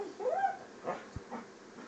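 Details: English springer spaniel giving one short whine that rises and then falls, followed by softer breathy sounds and a faint click.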